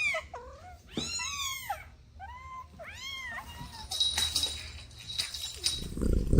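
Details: Kittens playing with their mother and two siblings: several high, arching meows in quick succession over the first three seconds, then quieter rustling and thumps of play.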